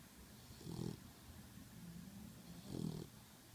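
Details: Pitbull mix puppy snoring while asleep after a very hard day: two low, rumbling snores about two seconds apart, with soft breathing between them.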